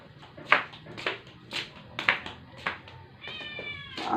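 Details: A rescued stray indoor cat, not eating for 12 days, in its dying moments after a vet clinic gave an antivirus injection and vitamins; short strained meows repeat about twice a second, ending in a longer wavering cry.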